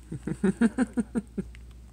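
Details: Rescued baby squirrel that fell from a 30-foot tree in a construction zone, giving a quick series of about eight short, low, harmonic squeaks in roughly one and a half seconds, fading at the end, with faint background hum.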